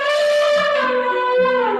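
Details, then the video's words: African elephant from the savannas of northern Kenya, played back in a San Diego Zoo conservation message; a loud brassy trumpeting blast with rich stacked harmonics, held level and then sagging slightly in pitch toward the end. "And that familiar sound is the call of an African elephant from the vast savannas of northern Kenya."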